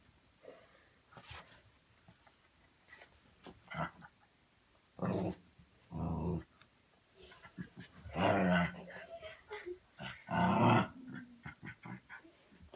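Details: Domestic dog indoors making funny noises while playing, in a fairly tame session: rough, throaty growling bursts, mostly short and irregular, with two longer loud rumbles near the middle and quieter snuffles between.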